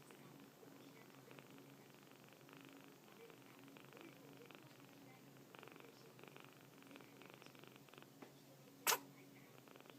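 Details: Scottish cat kitten with a cold, indoors; a single sharp, explosive sneeze near the end breaks a quiet stretch of soft, steady background hum.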